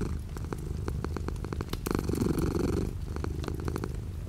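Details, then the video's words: A cat's low continuous purr, heard indoors while light rain falls outside the window; the rumble grows fuller midway, then settles, while quick patters of rain tick over it. "The sound of a cat purring with light rain outside the window."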